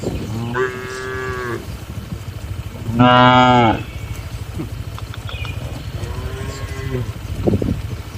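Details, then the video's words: Night in a traditional village cattle shed: three separate moos. The second is the loudest and brightest, and the third is softer and drawn out. Faint knocks and a low background hum can be heard between them. "Suara Malam di Kandang Sapi Lembu"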